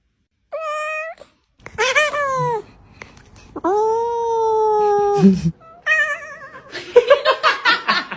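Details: Domestic cat giving a series of meows: a short clear one, a wavering one, then a long, steady, drawn-out meow that slowly falls in pitch, followed by a rapid burst of choppy, strained cries.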